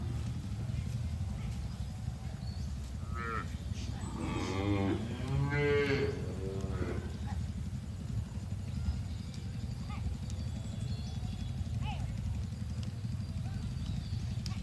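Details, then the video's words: Grazing cattle in a green pasture; overlapping moos between three and seven seconds, layered and wavering, followed by quieter field ambience with a low droning background. "Suara Sapi Moo"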